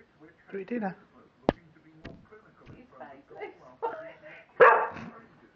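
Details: A male English Springer Spaniel gives short, whiny barks and yips in the evening around 7pm, demanding his dinner, as he does every evening.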